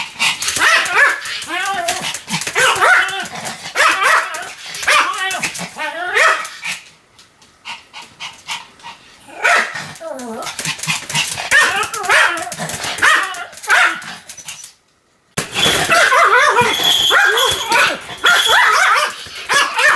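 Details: Pomeranian Sam barks continuously: rapid high yapping, a quieter stretch in the middle with softer barks and voices, a short cut, then another loud burst of shrill barks.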